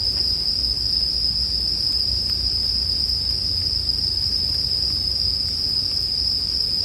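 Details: Bell cricket chorus mixed with a crackling campfire as sleep music: a steady, unbroken high ringing tone holds throughout, with soft low rumble beneath and scattered faint fire snaps.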